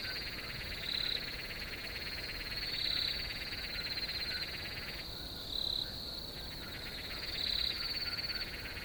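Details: High, short cricket chirps, about five in nine seconds, repeated at a slow steady pace over a buzzing pulsed chorus that briefly falls quiet midway before resuming.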